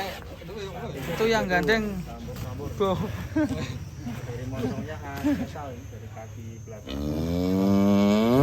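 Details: Colourful cattle in white, black and red-brown coats: a man talks about their colours for several seconds, then a deep, loud, drawn-out moo starts and keeps going to the end.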